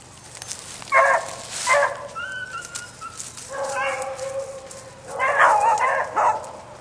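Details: Bouncer the dog gives a few separate barks, then a drawn-out, wavering baying cry near the end, with quieter tonal sounds between the outbursts.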